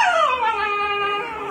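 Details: Husky puppy, four months old, protesting at home when told to come downstairs, gives a sliding vocal howl that drops steadily in pitch and levels off, rich in harmonics, between a person's calls to come.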